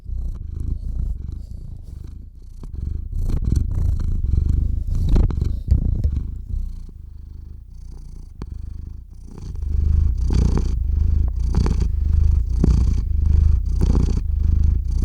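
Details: Domestic cat named Theo purring into a RODE NTG-3 microphone with a ZOOM H6 recorder while falling asleep; low continuous rumbling purr, softer and uneven at first, then steady rhythmic in-out cycles from about nine seconds.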